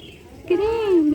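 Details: A domestic cat gives a single drawn-out meow, rising slightly then sliding down, about half a second long, after a quiet moment with faint background hiss.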